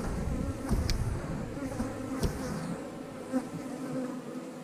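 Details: Honey bees humming steadily around a beekeeper's backyard hives during colony splitting, a low droning hum with overtones and occasional sharp clicks and knocks from handling equipment.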